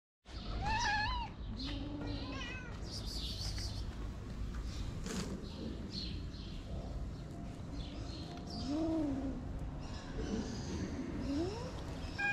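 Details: Stray kitten on a street in Morocco, under attack by stray calico cats: high, wavering cries near the start and again around nine seconds, rising and falling over a steady low rumble of street noise.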